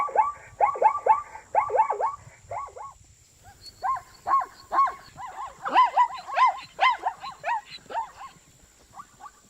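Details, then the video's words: Zebra producing rapid, regular yelping barks at first, then slower, drawn-out wavering calls that rise and fall, ending with fainter notes; a steady faint high whine continues throughout. "zebra sound - zebra noise- som da zebra - barulho da zebra"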